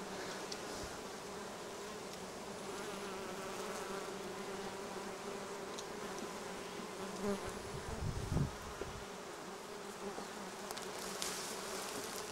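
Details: Many western honey bees forage on black locust and other plants beside the Cernavodă–Medgidia motorway in Romania, making a steady, low droning buzz with a few louder close passes.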